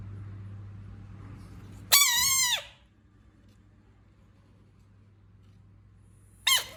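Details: A frog lets out one loud, wavering, harmonic squeal lasting under a second. A second brief squeal is cut off at the end, over a steady low hum.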